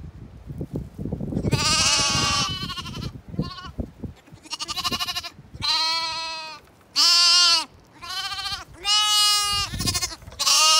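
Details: Hungry Zwartbles bottle lambs, kept as a group in a snuggle pile, crying for milk as their feeder approaches; overlapping bleats from several lambs, some quavering, some steady, with rustling and footsteps early on.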